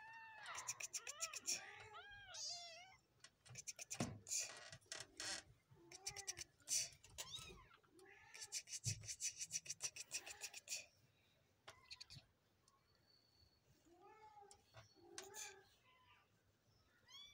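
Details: Kittens produce rapid strings of high, quavering mews mixed with sharp clicking and tapping noises, busy at the start and thinning into sparse soft mews toward the end.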